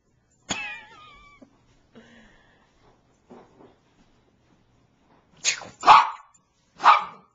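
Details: Bichon Frise dog, a pet female, barking to beg for her squeaky toy to be thrown: a sharp high yip early on, soft whines, then three loud barks near the end, in a quiet indoor room.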